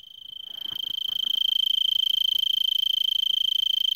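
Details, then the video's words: An Arizona tree cricket sings a steady, high, pure-toned trill of rapid even pulses from a brittlebush in Vail, Arizona, at 3300 ft, about 5 PM on December 26 at about 70°F, before sunset. "Arizona Tree Cricket 1"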